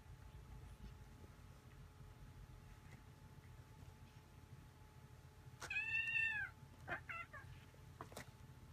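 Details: A rescued kitten and an older resident cat play-wrestling indoors; one short, high, bright meow with a slight downward bend, followed by a couple of brief squeaky chirps and clicks over low room hum.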